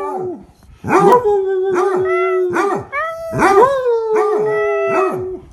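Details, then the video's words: Shadow, a pet Chihuahua, howling in a drawn-out series: each note opens with a sharp yelping rise and fall, then settles into a steady mid-pitched wavering tone, repeated about every half second to second. "Shadow Howls"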